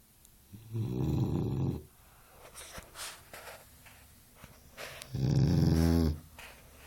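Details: Boxer puppy asleep, snoring in two drawn-out, low, rasping breaths about four seconds apart. Softer rustling and breathing noises fill the gap between them in a quiet room.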